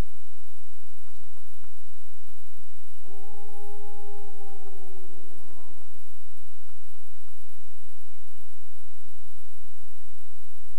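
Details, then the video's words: Lone wolf in the Boundary Waters Canoe Area Wilderness, heard while people are fishing: one drawn-out, even howl of about three seconds that dips slightly as it ends, then quiet apart from continuous low-pitched background rumble. "Wolves Howling In The BWCAW"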